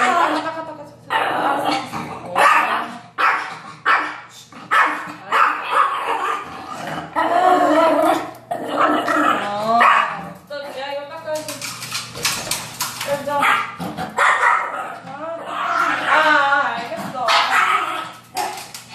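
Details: Yorkshire Terrier after a hated bath, agitated and scrappy: long run of rapid, harsh barks and throaty growls in uneven bursts, sometimes several per second, with brief pauses and faint background talk.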